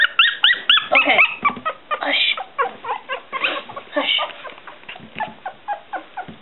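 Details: Noisy one-week-old Smooth Coat Collie, Coon Hound and Pomeranian mix puppies giving rapid, repeated high whimpering squeals, several per second, with a person talking softly to them.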